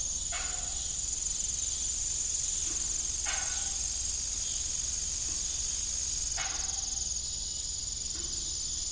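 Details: Evening cricket song at a former family farm: a high, even trill gives way to fast pulsed chirping after six seconds, joined by intermittent creaks from the broken windmill blades.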